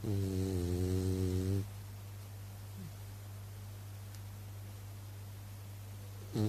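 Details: French Bulldog named Haku, indoors and sound asleep, giving a loud, rumbling, deep snore for about a second and a half. A steady low hum and quiet breathing follow, and the snore starts again at the very end.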